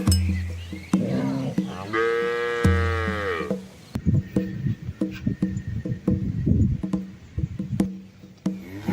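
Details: Among red Asian village cattle fording a small river with calves, one long moo rises and falls early on, followed by scattered splashes, clatter and a low steady hum.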